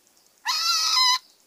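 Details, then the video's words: A single frog scream, under a second long, gives a shrill, tense, harmonic cry. It holds level and ends abruptly, with quiet surroundings before and after. "Screaming Frogs"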